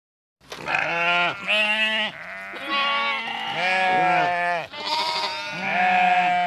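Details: Several sheep and lambs bleating in overlapping, quavering calls, high and low voices alternating, each call a tremulous harmonic-rich 'baa' lasting about a second, the chorus continuing without pause.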